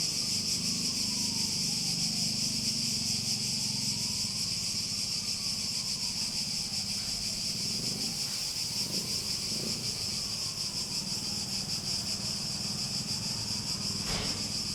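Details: Cicadas drone in a constant high shrill chorus. A faint wavering tone slowly rises and falls in the background, with a low hum and a sharp click near the end.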